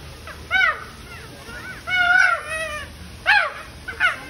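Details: At the Oregon Zoo, chimpanzees squabble over food. Several separate arched, wavering cries come in four bursts, the longest about a second, with quiet gaps between.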